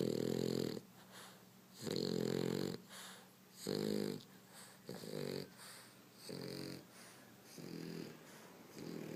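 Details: Sleeping French Bulldog snoring loudly: deep, rasping snores in steady bursts about every two seconds, each lasting under a second, separated by quiet wheezy breaths.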